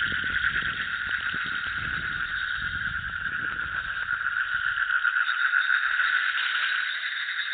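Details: Field recording of frogs croaking: an unbroken, rapid pulsing chorus held at an even level throughout, with some low background rumble fading out midway.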